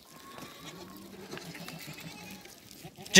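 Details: A goat and kid reunion, with a long, low, quavering bleat held for about two seconds, a thin steady tone above it, and a sharp loud burst at the very end.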